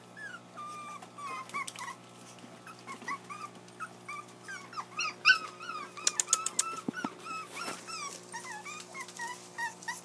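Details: Several puppies whining while wanting to play, with a steady stream of soft, thin, arching whimpers and yips throughout, plus scattered sharp knocks and rustles from movement.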